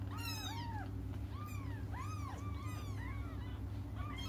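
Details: Young cats calling for their absent mother with a run of loud, arching meows, several voices overlapping, each cry rising then falling, a low droning hum beneath.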